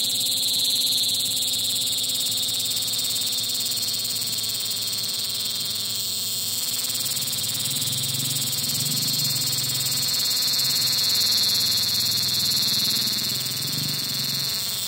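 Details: Cicadas fill the late-afternoon air with a steady, high, shimmering buzz that never lets up.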